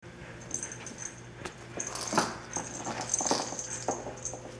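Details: Several dirty puppies on day 27, waiting before their baths, give thin high squeaky whimpers and yips in short scattered bursts, with louder cries near the middle, over a steady low indoor hum.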